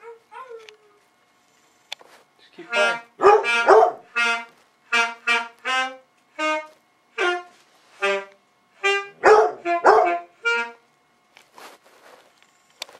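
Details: Female Basset Hound howling along with saxophone practice in a playful duet: a string of short, tonal, harmonic yowls in quick succession, some rising and falling, mixed with sustained saxophone notes.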